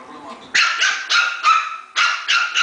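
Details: Puppies fighting, giving high yappy barks in quick bursts, about six sharp yelps after a quiet start with faint background sounds.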